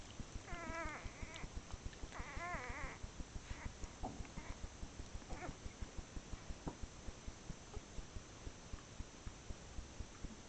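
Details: Six-hour-old Whippet puppies from a blue bitch's first litter, November 2013, give two drawn-out wavering cries early on, followed by a few brief faint chirps against a regular soft clicking in the background.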